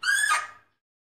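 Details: One abrupt, rasping Fea's muntjac bark, rich in overtones and slightly falling in pitch, fading away within under a second.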